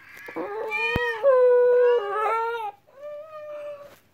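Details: Pet dog reacting to weird sounds with a drawn-out, tonal whining howl, held steady then wavering, broken into three phrases over about four seconds, with a sharp click near the start.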